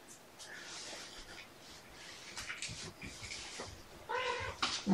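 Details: Meowing from the foster litter of mama cat Seraphina and four kittens at Purrfect Pals during an afternoon play session, 16 November 2018. A harmonic meow rises near the end over room rustling, light knocks and a speaking voice.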